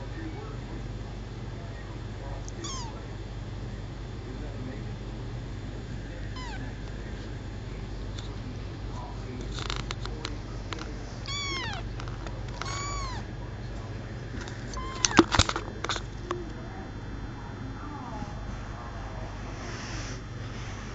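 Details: Adopted male kitten, four weeks old and newly walking, repeatedly meows in short, high, arching cries, several in quick succession midway, with scattered clicks and brief knocking noises against a constant low-pitched hum.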